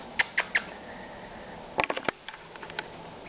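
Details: A female dachshund, seemingly tired and sleepy, has hiccups, giving short, sharp, clicking jerks in small irregular bursts.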